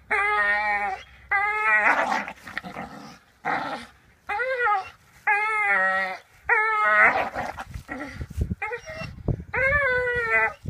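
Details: Staffordshire Bull Terrier hanging off a rope swing, giving about eight strained, harmonic whining bursts of roughly a second each, separated by short pauses, with rustling and creaking between them.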